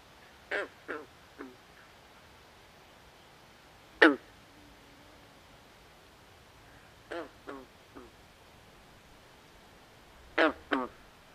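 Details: Nighttime swamp frogs giving rasping, duck-like croaks, single or in quick doubles and triples, irregularly spaced across the recording, set against low, even background hiss.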